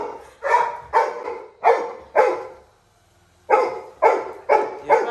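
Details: Labrador Retriever puppy Little John, crying in a village as his brother leaves home, gives rapid loud yelps about twice a second, then a short silence before another quick run of sharp cries.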